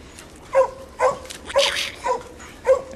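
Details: Training session for Ginger, a young English coonhound, near a raccoon hung in a tree for her; an old dog that treed the coon sounds nearby. Five sharp, ringing barks spaced about half a second apart, with a brief rasping noise between.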